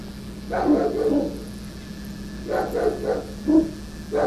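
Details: Sarge the Rottweiler, unhappy with tree trimmers cutting branches off telephone wires, guards against these intruders with deep, rough barks in two bursts of several rapid woofs, separated by a short quiet gap, over a constant low hum.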